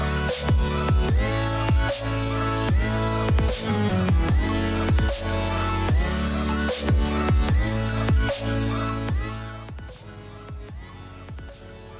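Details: Loud electronic dance music with heavy bass and a steady beat fills the whole stretch, fading slightly near the end.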